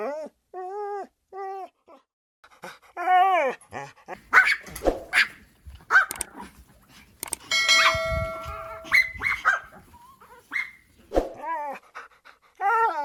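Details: Dogs produce a mix of high, wavering whines at the start, then scattered barks and yelps overlapping one another, with a steady tonal hum near the middle.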